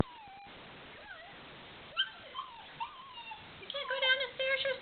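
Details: A black Labrador puppy tries to get down stairs, giving thin, high whines that waver up and down in pitch, then a quick run of sharper, brighter yips near the end.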